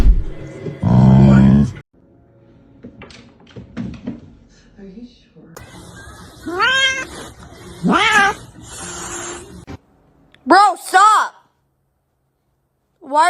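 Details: Domestic cats shown fighting: several sharp, arching meows that rise then fall, two in quick succession near the end, following a loud burst and people talking at the start.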